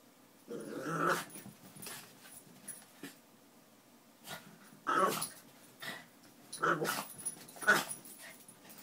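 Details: Miniature Pinschers playing together, giving short, gruff growls and snarly grunts in quick bursts, roughly one every second near the end, with faint rustling between.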